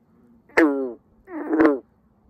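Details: A male green frog in a summer pond gives two abrupt, twanging notes, like a loose banjo string being plucked, calling to attract mates and establish territory.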